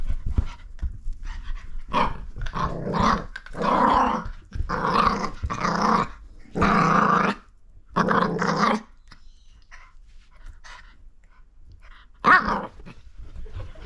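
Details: Lucy, a Mini Foxie, squaring off against a hand with long, rasping growls in repeated bursts of about a second each, separated by short pauses, then one last snarl near the end.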